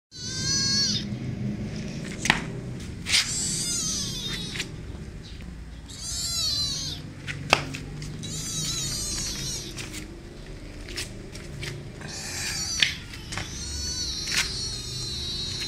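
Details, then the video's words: Kitten calling with high, wavering, harmonic cries in repeated bursts of about one second, with short gaps and some sharp clicks and knocks between calls. The description uses the local dialect word "ngeroweng" for the sound. "Roaring Kitten"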